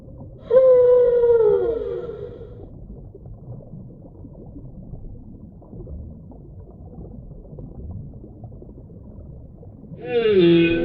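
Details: Deep-sea whale vocalizing: a loud, harmonic-rich moan that slides downward over about two seconds, followed by a long stretch of quiet underwater hiss, then a sudden bright upswept cry at the end.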